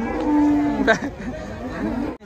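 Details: A giant cow rampaging as it is unloaded from a truck gives a drawn-out, low, harmonic moo, while a steady whistle-like tone and excited crowd chatter sound around it.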